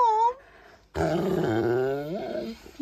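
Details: Pet dog named Beowulf, an adorable talker, visiting indoors while its owner is in Mexico: a brief high whine, a pause, then a long wavering moan-like yowl that rises at its close, with a woman chatting nearby.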